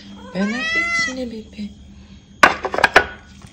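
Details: Cat giving a short wavering meow that rises then drops, followed by a pause and a burst of clicking, knocking noises.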